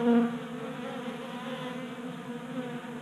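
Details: In a Colorado garage in January, honey bees gather at a 3D printed table feeder; a close bee buzzes loudly at first, then the crowd settles into an even, continuous droning hum.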